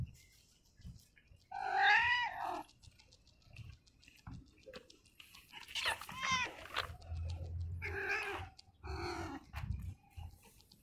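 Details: Pregnant yellow stray cat trailing a person in the early morning, giving a series of four bright, harmonic meows spaced a couple of seconds apart, the first loudest, with low rumbling background and light tapping noises.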